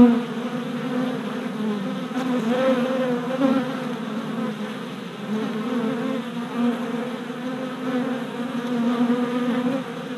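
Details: Honey bee workers circling on orientation flights outside a new hive body in late April 2017, four days after package installation; an even, low droning buzz of many bees throughout, with gentle rises and dips.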